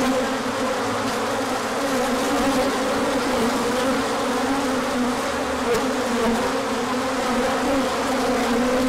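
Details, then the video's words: Large orientation flight of bees in sunshine following colder days, 24 March 2024; an even, continuous buzz from many insects with low humming bands and faint passing swells. "Large Orientation Flight."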